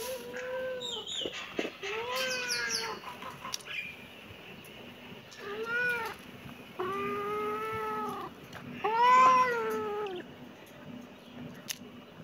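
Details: Kitten meowing repeatedly, about five drawn-out, arched meows with rich harmonics, each lasting around a second, the last one louder and higher, over a low steady background hum.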